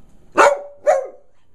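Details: Male dog protesting just after a bath he dislikes, seemingly objecting to another dog being bathed too: two short, harmonic yowling bark-grumbles about half a second apart, the second trailing off, with a person talking just before and after.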